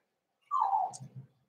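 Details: Cavalier King Charles Spaniel puppies in a home puppy pen while being socialized with several bigger adult dogs: one drawn-out whine sliding downward for nearly a second, followed by two soft low grunts in a quiet room.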